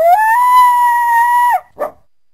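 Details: Coyote (Canis latrans), howl.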